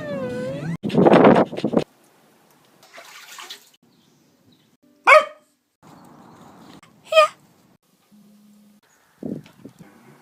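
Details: Pet Beagle indoors, opening with a long harmonic whine-like cry and a burst of barking, then two sharp, high yelps a couple of seconds apart, with faint rustling and a short low hum between.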